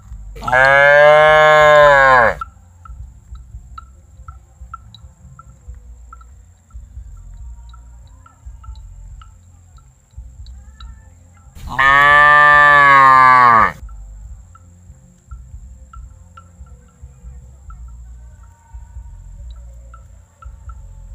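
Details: Tame calf unafraid of people, giving two long, loud, harmonic moos about ten seconds apart, each lasting about two seconds, over quiet low background rumble and faint ticking.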